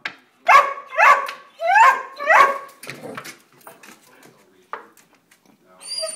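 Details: Greyhounds Jackson and Samantha with foster Blaze, three pet dogs, discovering a squirrel at a backyard bird feeder; four loud, harmonic yelping barks in quick succession over two and a half seconds, then softer scattered noises and faint movement.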